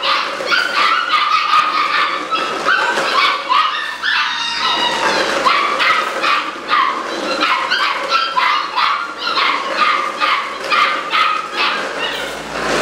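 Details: Eight-week-old Malinois litter, socialized daily, July 2015: dense, shrill yipping and yapping, about two to three calls a second, with occasional whining squeals among the overlapping voices.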